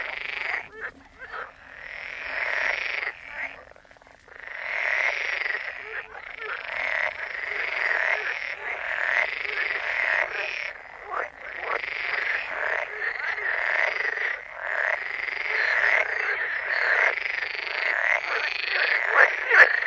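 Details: Dense frog chorus, rapid rasping croaks repeated over and over in short pulses, many frogs calling at once for the whole stretch.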